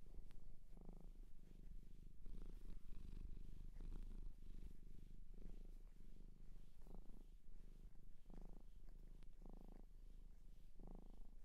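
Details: Domestic cat adopted from a shelter in Japan, recorded close up indoors for ASMR: a steady low rumbling purr, swelling in brighter pulses roughly every one to two seconds as the cat breathes in and out.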